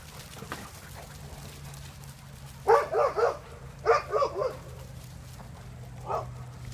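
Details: Dog barking in two quick doubled or tripled bursts close together, then a single softer bark after a pause, over a steady low hum.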